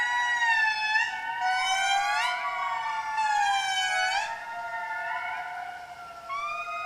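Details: Wild indri family group in Madagascar forest, gathering in the morning to call together and mark territory, warning other indri to keep away: loud, eerie wailing notes in long gliding sweeps that rise and fall, overlapping voices in synchrony.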